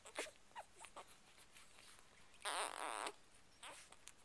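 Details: Newborn Chocolate Labrador Retriever pups, two days old and among seven in Ruby's litter, make brief soft squeaks, then one loud, trembling whine lasting over half a second, followed by a quieter squeak indoors.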